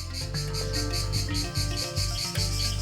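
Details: In Thailand, a male cicada camouflaged on tree bark flexes its abdominal tymbals. It gives a rapid, pulsing, ear-piercing buzz, a mating call to attract a female, over a swelling musical score.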